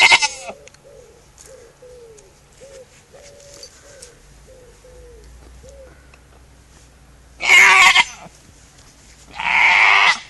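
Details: A goat gives loud, harsh, scream-like bleats, with softer short calls repeating between them.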